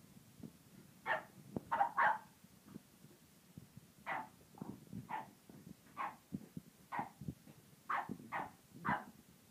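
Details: A French bulldog, still unsure about a tiger toy, barks at it bravely in short, sharp, mid-pitched barks in uneven bursts while being hushed.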